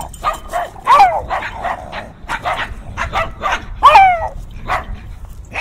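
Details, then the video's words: Several dogs barking fiercely outdoors in heavy wind, recorded binaurally with in-ear microphones: rapid overlapping sharp barks and yelps, some with whining squeals, in a continuous excited volley. "Fiercely Barking Dogs"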